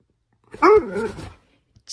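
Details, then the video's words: Greyhound throwing a dramatic tantrum indoors; one loud, wavering, whining howl lasting under a second, sliding up then down, followed by silence. "DRAMATIC GREYHOUND THROWING A TANTRUM"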